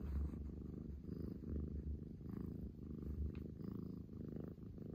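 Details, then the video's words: A female Scottish Fold cat, playful and attention-seeking, purrs steadily, a low rumbling vibration that swells and fades with each breath, with some background noise. "喉をゴロゴロ鳴らす猫ちゃん"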